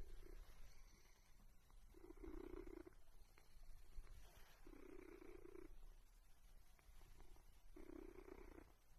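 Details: A domestic cat purring in three low, steady rumbling bursts of about a second each, near two, five and eight seconds. The purring is soft and quiet against faint background hiss.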